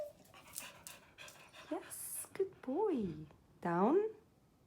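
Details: A Beagle begging for a treat during a basic training session gives drawn-out, arching whines that rise, then fall in pitch, while commands like sit and roll over are given.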